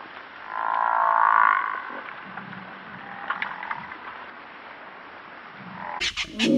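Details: An African buffalo, or Cape buffalo, lets out a swelling nasal moan lasting about a second, then softer grunts and murmurs, ending with a sharp rustling burst.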